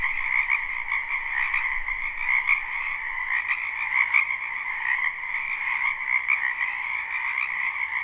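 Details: A wetland full of spring frogs croaking, recorded live without looping: continuous massed trilling in two pitch layers, swelling slightly, with one brief sharp click near the middle.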